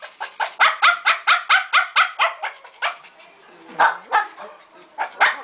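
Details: A male Shih Tzu, put in a cage with his mate to meet her for the first time, gives a quick run of high, sharp yapping barks, about a dozen in under three seconds, then a few scattered barks with a voice in the background.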